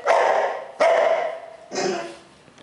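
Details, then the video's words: A bull terrier barks at his reflection in his water bowl, giving three loud, drawn-out barks about a second apart. "bull terrier piggy barking at his reflection in water bowl"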